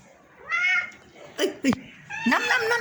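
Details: An unwell house cat gives a short meow, then a few clicks and knocks and a rougher, wavering cry, while someone keeps calling to it indoors.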